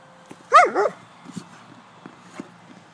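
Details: White German Shepherd dog playing, giving a single yelping bark that bends up and down, followed by quiet clicks and small knocks.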